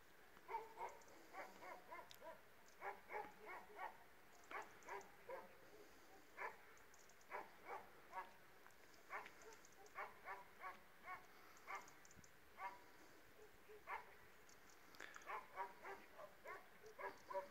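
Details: Dogs, an Illyrian Shepherd and a Presa Canario mix, barking in a steady run of short harmonic barks, some in quick doubles, spread across the whole stretch, with faint background hiss and a few high clicks.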